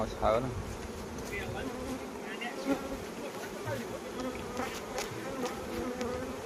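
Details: Continuous low humming drone of honey bees on a Khmer honey farm in the Kor flower season, many insects buzzing together at an even pitch, with faint murmured speech in the background.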